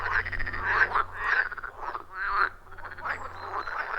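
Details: Wild frogs calling in a loud chorus around a forest pond, captured on an iPhone 14 Pro with a Shure MV88+; overlapping croaks in bursts of about half a second, dense and rhythmic, with a steady low hum underneath.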